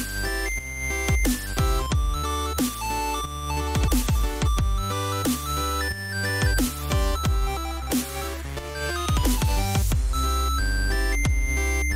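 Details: Heavy electronic dubstep music with deep pulsing bass, sharp drum hits and bright synth tones throughout, with no animal sound.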